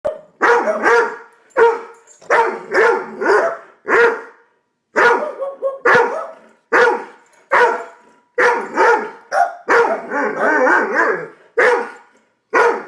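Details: Two dogs, a Doberman and a Boston Terrier, barking excitedly at a bird in their backyard pond; loud, sharp barks in rapid bursts with short pauses, some overlapping, mid-pitched and harsh.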